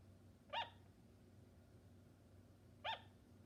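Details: Two brief, bright barking yaps from a sugar glider, a little over two seconds apart, each a crisp harmonic chirp over a low steady background hum.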